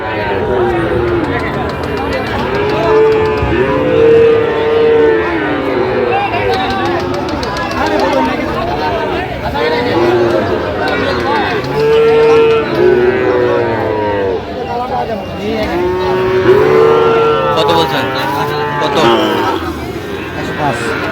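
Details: Sahiwal bull calves in a Barisal cattle market, Bangladesh, 12 September 2025. Scattered moos, some short and some held, break through steady talk and haggling, with faint vehicle noise behind.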